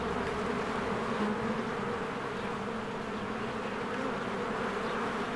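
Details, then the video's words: Spring beehive with honeybees coming and going, a constant dense hum of countless wings, slight swells in the buzz, no pauses. "1 Hour of a Beehive ASMR"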